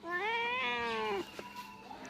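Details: Domestic cat meowing after refusing cake, its owner calling it singing; a single rising-then-falling meow of about one second, followed by a short click and faint room noise.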